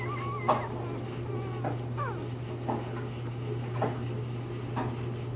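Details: Bernese Mountain Dog pups in their first few days of life give brief high squeaks and soft whimpers at intervals of about a second over a low constant hum.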